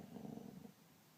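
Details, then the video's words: Poncho, a dog, snoring while sleeping peacefully: one low, rumbling, buzzy snore lasting under a second, then fading into near silence. "Poncho snoring"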